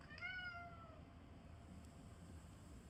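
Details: A calico cat gives a single drawn-out meow, rising slightly then sliding downward over about a second, with bright overtones, followed by low background hum.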